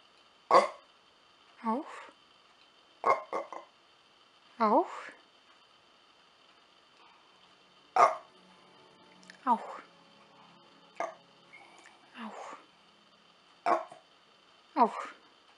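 A Basenji gives short, yodel-like vocal bursts, each sliding downward, repeated every second or two.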